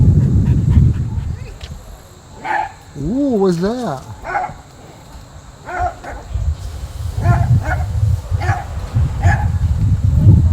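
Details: A shelter dog at an animal protective league, recorded 19 September 2024, gives short, sharp barks and a wavering whine, with people talking nearby.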